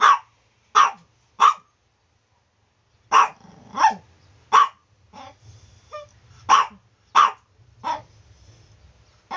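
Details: Morning barking from a Chihuahua: clusters of sharp, high yaps, three quickly then a pause, then irregular barks with short squeaky whimpers between, over a faint low hum.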